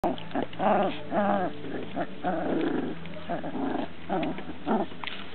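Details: Transylvanian Hound puppies whining and yelping, a run of high wavering whimpers rising and falling in short bursts, several pups overlapping, with low background rumble.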